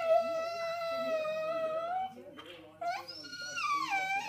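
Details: Female English Bull Terrier whining and whinging for food or attention, as she often does: a drawn-out, even, nasal whine, a short pause, then a second whine that rises and wavers.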